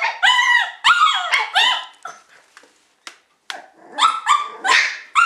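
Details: Shiba Inu puppies let out drawn-out whining yelps with bending, harmonic tones, interspersed with short squeaks and a pause of quiet before a fresh run of high cries.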